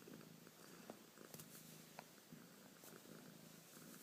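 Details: Close, quiet purring from a female cat: a low buzzing rumble in rhythmic bursts, with a few faint clicks and rustles.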